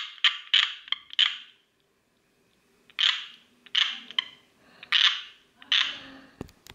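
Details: Tree frog giving a quick run of four clicky, ringing notes, a pause, then four more spaced notes about a second apart; a sharp handling knock near the end.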